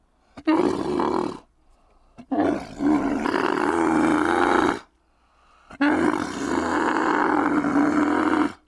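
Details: Three rough, throaty bellows from a domesticated dromedary camel, each one to two and a half seconds long, separated by silent gaps. The middle call is the longest.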